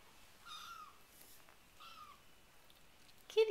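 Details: RagaMuffin kitten, four weeks old, from a litter at play on a sheet, mews twice in clear, high, slightly falling calls about a second and a half apart, followed by a sharp louder squeak, with a quiet room behind.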